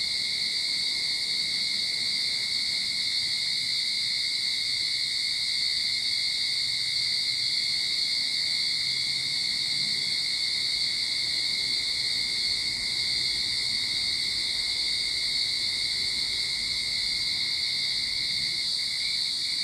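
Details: Cicadas singing in a Sydney backyard at the start of summer: a dense, continuous high buzzing drone with a steady shrill band above and a thin whine lower down, unbroken and even in loudness throughout.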